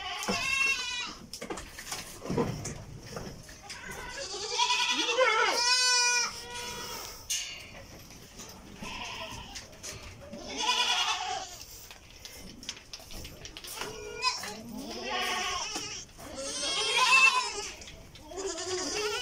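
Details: Goats at a goat farm in Karnataka, India, bleating: several overlapping wavering, nasal bleats rising and falling in pitch, some drawn out and quavering, coming in bursts with short gaps and background farm noise.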